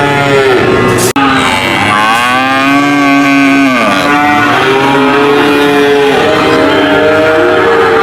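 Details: Cow moos, a deep drawn-out bellow that arches and drops off, then softer wavering moos, with a single sharp click near the start.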